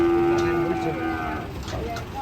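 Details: Cattle jumping down while being unloaded from a truck; one gives a steady, low, tonal moo lasting about a second, then fades, with men's voices and handling noise around.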